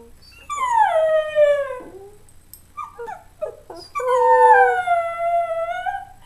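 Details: Buckley, a pet schnauzer that likes to sing, howling on cue: two long drawn-out howls, the first sliding steadily downward, the second held level and lifting slightly at the end, with short broken yelps between them.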